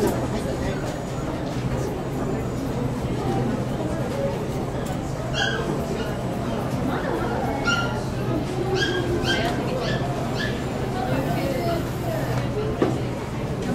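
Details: Poodle at the Saitama West Honey Poodle Club branch show, 9 June 2008: a few short, sharp barks and yips in the middle of the recording, set against steady crowd chatter and indoor hubbub.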